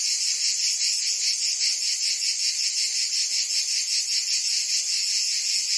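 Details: Summer cicada chorus recorded in Provence, France, an unbroken high rasping drone that throbs in quick regular pulses, many insects blending together with nothing else audible.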